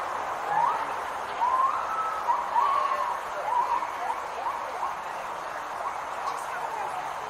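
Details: At feeding time for roseate spoonbills at Santa Fe Teaching Zoo in Gainesville, Florida, a gibbon howls in the background: rising, whooping hoots sweep up and down in a loose repeated series, about one a second, over a steady hiss.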